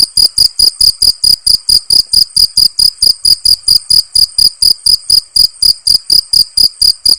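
A cricket chirps steadily, bright high pulses repeating about four times a second.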